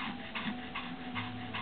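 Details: Two pet dogs, Dacar the Pomeranian and Mikko the Lhasa Apso, breathing hard after a frisbee game: soft, breathy panting bursts repeated roughly every 0.4 seconds, steady and rhythmic, with low room hum beneath.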